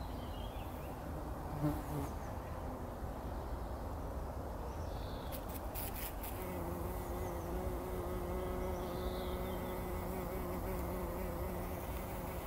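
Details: Bumblebees bathing in pollen inside poppy flowers in the early morning before sunrise, 2019; a steady low buzz with rich overtones swells and holds clearly through the second half, a few bird notes early on.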